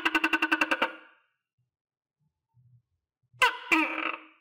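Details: Kept tokay gecko around a cricket meal: a fast clicking rattle of about eight beats, a brief low bump, then a loud, buzzy two-part croak.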